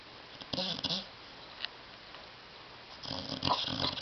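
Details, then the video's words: Tyson the dog asleep on a love seat indoors, seeming to talk in his sleep: brief throaty snorts with a nasal tone early on, a quiet gap, then a longer rough, rasping snore burst at the end. "DOG SNORING"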